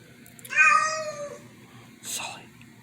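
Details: Cat giving one long, drawn-out meow lasting about a second, followed by a short breathy hiss-like burst, with people talking nearby indoors.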